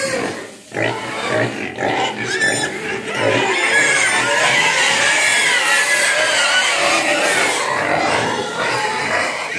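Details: A hungry pig cries to be fed, a near-continuous run of loud, harsh, rasping squeals with rising and falling pitch, broken only by a short pause near the start; faint human voice beneath.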